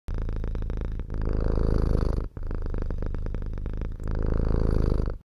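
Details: Kittens purring steadily in a rapid low rumbling rhythm, loud and close, with brief breaks between breaths.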